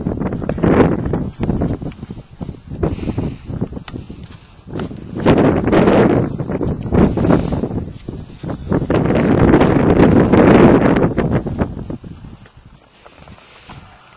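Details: Poitou donkeys recorded April 14, 2011, a loud rasping bray cycling in long rhythmic pulses of rising and falling breaths for about twelve seconds, then fading, with rustling and footsteps around.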